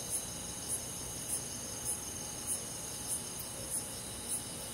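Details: On a summer night in the countryside, a cricket chirps in sharp high bursts spaced a little over half a second apart, with a shrill insect drone filling the background.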